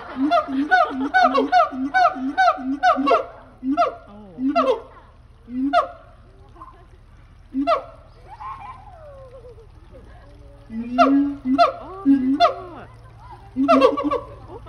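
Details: Two siamangs, seeming to talk seriously together, give loud, honking barks in quick runs, then slower spaced hoots and a rising-falling wail.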